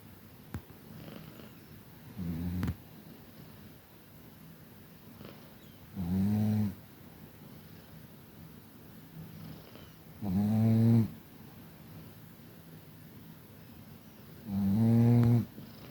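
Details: A sleeping Chihuahua from Tver, bred at a Crimean kennel, snoring: four slow rumbling, buzzy snores, each about a second long, spaced roughly four seconds apart, in a quiet room.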